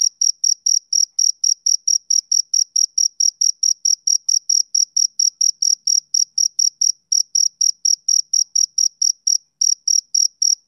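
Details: Rhythmic chirping of a male cricket on a summer evening, bright high-pitched pulses following one another roughly every quarter second, very regular, against complete silence otherwise.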